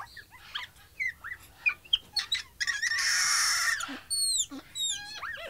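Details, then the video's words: Capuchin monkey calls: short arching harmonic chirps and whistles in quick succession, a sustained harsh noisy cry near the middle, then bright descending whistled notes. "1 Hour of Monkey Noises | Monkey Sounds | Capuchin Sound"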